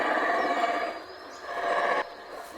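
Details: Guatemalan black howler monkey troop roaring from the treetops around Mayan ruins at Yaxha, a calling card for neighbouring troops audible kilometres away; a dense, continuous rumbling roar that cuts off abruptly after two seconds, leaving quieter background.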